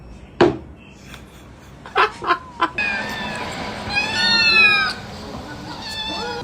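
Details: Two domestic cats in a playful squabble, giving short sharp yowls followed by a long wavering harmonic meow that rises and falls, with a man's voice heard speaking.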